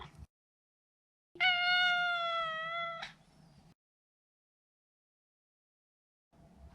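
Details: A neutered male Maine Coon named Maro lets out one long, steady, level meow of nearly two seconds with a clear, rich tone. A faint rustle follows, then silence.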